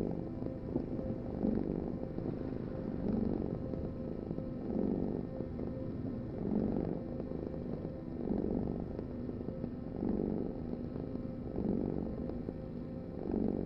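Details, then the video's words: Purring cat, deep buzzing rumble broken into swelling bursts roughly every 1.7 seconds as it breathes in and out, steady and unhurried over the whole stretch. "Heal with the ultimate cat purring vibration"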